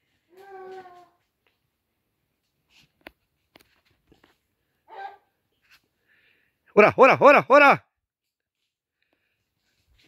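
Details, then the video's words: Dogs pursuing a wild boar: a faint drawn-out whine, scattered soft yelps, then a rapid burst of four loud, ringing barks close together near the end. "Vean amigo sacan al Jabali mis perros"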